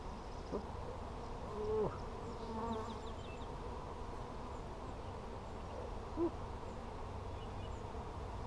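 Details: Honey bee colony at a 17 July 2020 hive inspection: constant low buzzing hum with small swells in loudness, a few brief tonal squeaks and faint bird chirps high above.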